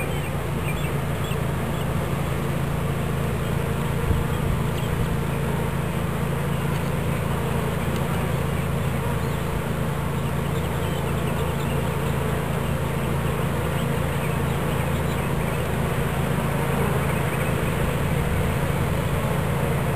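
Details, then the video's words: Bees from a captured swarm settling into a new hive in Watkinsville, Georgia, producing an unbroken, even low-pitched buzz that holds steady throughout with a faint fluttering texture. "Bee Swarm Capture"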